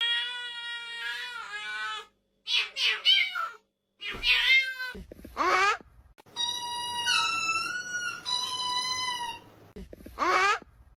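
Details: Domestic cats in a compilation of funny cat noises, giving a run of drawn-out, harmonic meows, some bending up and down in pitch, with brief gaps between calls and a low background hum.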